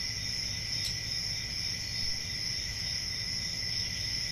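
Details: Crickets in a relaxation recording for sleep or study: a steady, unbroken high-pitched trilling chorus with a second, lower continuous tone beneath it, and a faint low rumble throughout with no pauses.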